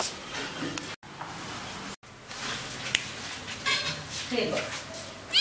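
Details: Kittens indoors giving short, high, thin meows, a few brief rising cries near the middle and a sharp one at the very end, over a steady hiss with people talking and a couple of clicks.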